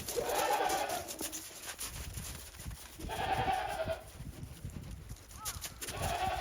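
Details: Snow-covered Japanese goat farm after heavy snowfall, December 2023, goats walking timidly; loud overlapping quavering bleats, one at the start, another near three seconds and a third at the end, with a steady high background hiss.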